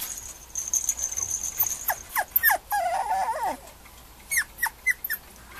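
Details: Male Mame Shiba puppy: a run of short, high, downward-slurred whimpers and yips, then a longer wavering whine in the middle, followed by a few sharp, separate yelps; a faint steady high tone sounds early on.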